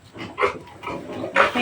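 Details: Native pig piglets being weaned from their sow, which is kept in a neighbouring pen. Short harsh squealing bursts, one loud near the end, with a man speaking in the background.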